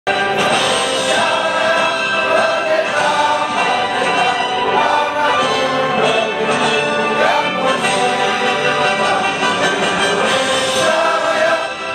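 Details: Continuous music with layered singing voices, like a choir, throughout; no clear animal calls stand out.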